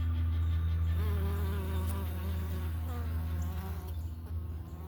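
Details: Close-up at a homestead hive entrance where Italian honey bee workers bring in pollen during a morning check; a loud, deep continuous hum with rippling, wavy higher tones from bees darting past, easing slightly at the end.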